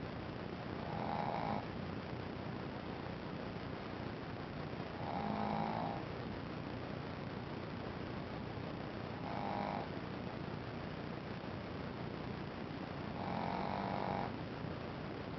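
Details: Shih Tzu puppy Ponzu snores in sleep, four hoarse, humming snores spaced roughly four seconds apart, each lasting about a second, with soft steady hiss between breaths.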